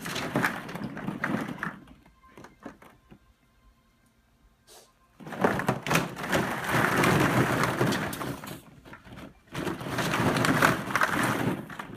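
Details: Rustling, clattering bursts of plastic balls and thumps indoors, with no animal calls.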